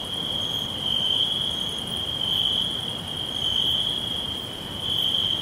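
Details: Forest crickets trilling continuously on a single high, shimmering note that brightens and softens in slow waves, faint ticking above and a low background hiss.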